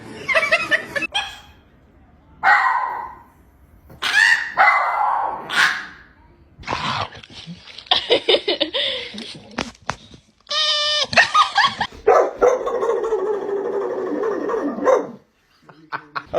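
A dog makes a run of short, whiny yips and longer, howl-like vocal bursts that rise and fall almost like speech. A person's voice repeating greetings and some background music are also heard.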